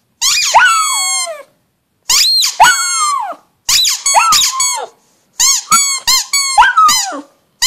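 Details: Howling pug giving a series of high, squeaky, wavering wails, some rising then falling, in short bursts with brief pauses between them.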